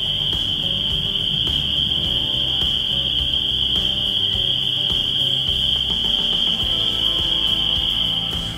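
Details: A dense chorus of spring peepers (Pseudacris crucifer), among the first loud frogs early in the season, calls from wet areas of Fowler Woods State Nature Preserve, high piping calls blending into a steady shrill ring.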